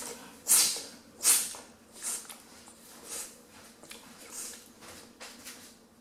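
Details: Sleeping ten-week-old female Rottweiler puppy, Bambi, snoring indoors: soft, breathy hissing bursts come about every second, the first two loudest, then fading into quieter, uneven puffs of breath.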